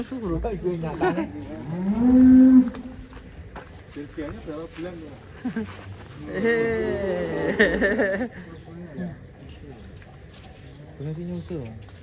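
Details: Cattle linked to the huge contest bull Ken Arok Bimasakti and its mother, ahead of a DKI show; two loud, sustained moos about five seconds apart, the first rising and steady, then quieter talk and shuffling.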